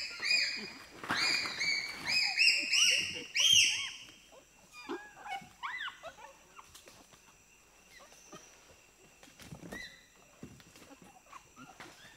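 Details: A group of four to six pygmy chimpanzees screaming and shrieking in reaction to being presented with sugar cane; loud, high, harmonic shrieks come in rapid overlapping bursts for four seconds, then fade into scattered shorter squeals.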